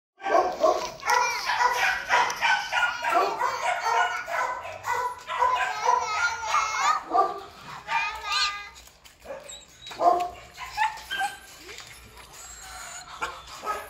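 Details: Belgian Malinois dogs of black and red-black coat, bred for breeding, barking in repeated bursts through the first half, with people talking throughout and quieter yips later.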